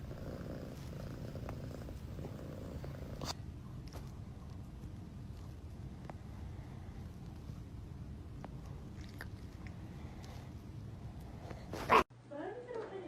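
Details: Domestic cat purring indoors: a steady low rumbling drone runs through the recording, with a few soft clicks and thumps, then a sudden loud burst and a brief snatch of other sound near the end.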